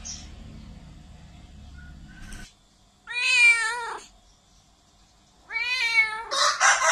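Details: Very loud cat meows, two strong drawn-out cries with rich harmonics, rising and falling, after a low rumbling start; a burst of hissing noise follows the second cry.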